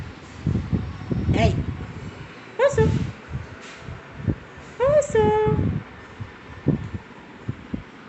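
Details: Oso, a very young Siberian Husky puppy, gives three drawn-out, high, tonal howling whines, each dropping then levelling off, around one, three and five seconds in, between a person's talking to him.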